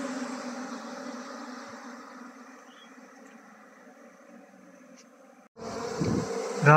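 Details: Beekeeping scene as honey bees are transferred from a log hive to a modern hive: an even, low humming drone that fades slightly over five seconds, then breaks off into louder rough handling and rustling noise.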